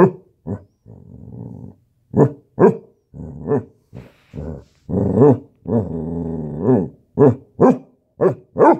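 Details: Basset hound puppies in a standoff, giving repeated short barks and longer growling rumbles, with music playing and a person speaking Spanish.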